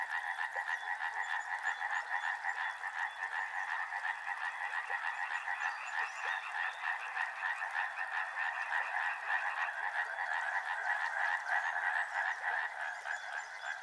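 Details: Soothing river scene with a frog chorus: many frogs croak together in a thick, unbroken mass of fast pulsing calls, the rhythmic trilling holding steady from start to finish.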